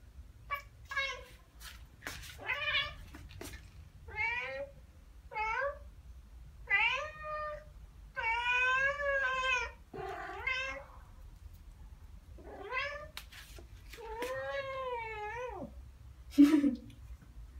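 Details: Ragdoll cats Ao and Aki, one year and nine months old, chattering after hearing birdsong: a long series of short, bouncy chirps and trilled meows, some wavering, interspersed with sharp clicks and brief pauses.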